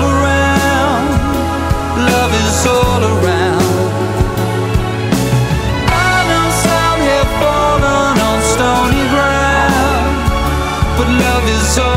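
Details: Loud pop song with sung vocals, guitar and drums fills the whole stretch, with no animal voice audible.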